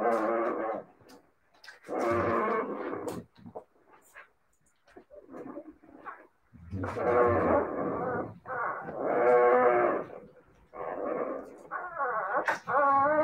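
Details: Siberian Husky puppies giving drawn-out, wavering howls and moaning vocalizations in several separate bouts, with short pauses between them.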